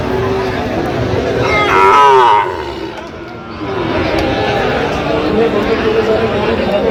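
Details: Sahiwal bull calves at a cattle market in Gaibandha, Bangladesh, 17 November 2025: a loud calf moo near two seconds, harmonic and slightly wavering, over steady crowd hubbub and voices of buyers.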